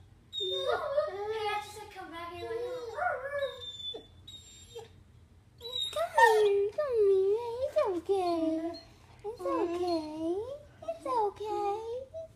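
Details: Copper the puppy, pining for a departed owner, gives repeated arching whines and moaning howls, each rising then falling, several per burst, with a steady low hum and faint voices in the room.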